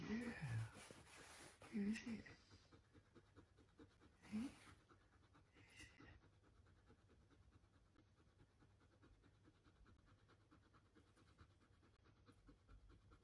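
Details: Husky meeting a puppy for the first time, panting in quick soft breaths about three per second. A person's speech fills the first seconds, then the steady low huffing carries on quietly alone.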